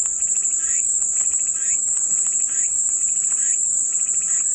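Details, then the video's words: Cicadas singing in one steady, shrill, high-pitched buzz that never breaks, with faint, softer chirping notes pulsing underneath about once a second, offered as calming white noise. "마음이 평온해지는 매미소리"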